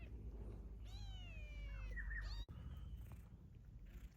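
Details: A domestic cat that was fed, stayed on and later returned with several newborn kittens. One drawn-out meow, high and slowly falling, lasting about a second and a half over a steady low rumble, then a sharp click.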